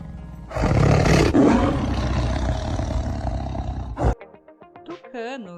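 A white Bengal tiger gives one long, deep, rough roar lasting over three seconds, followed by wavering tonal notes and background music.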